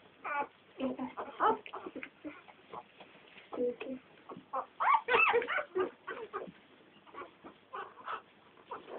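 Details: A litter of ten American Staffordshire Terrier puppies giving a continuous chorus of short, squeaky whimpers and yelps, irregular and overlapping, several each second.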